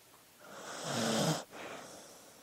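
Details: A dog asleep gives one drawn-out snoring inhale with a nasal, vibrating buzz, cut off sharply and followed by a faint breathy exhale.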